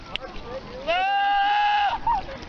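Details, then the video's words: Goat screaming like a human: a single sustained, level, nasal scream lasting about a second, followed by a short upturned yelp, over a low background hiss. "Funny Goats: What Does the Goat Say? A Mashup of funny goats making silly noises!"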